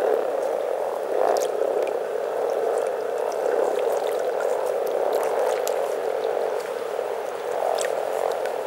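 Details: Over 300 frogs enjoying spring in Teisko, Pirkanmaa, Finland, massed into one steady, dense chorus of low purring croaks that overlap into a continuous rumble, with faint clicks and splashes now and then.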